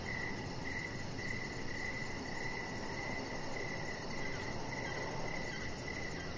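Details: Crickets heard outside in the evening beside a deck: a rhythmic train of short, shrill chirps, about ten in six seconds, over constant broadband noise.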